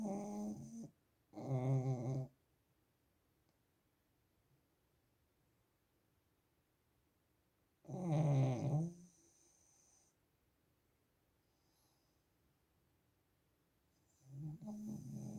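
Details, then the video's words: Pug named Zhorik snoring: three loud, rasping, low-pitched snores with a rich buzzy texture, spaced roughly six seconds apart, with near silence between breaths. "Как храпит мопс"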